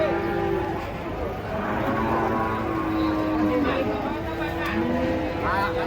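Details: Giant cow being unloaded and jumping down from a truck gives a long, steady, low moo lasting about two seconds. People talk in the background and vehicle noise runs throughout.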